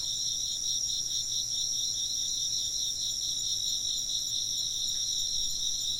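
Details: Continuous insect chirping, several overlapping shrill bands, the lower one beating in quick regular pulses, steady in loudness from start to end over quiet low background noise.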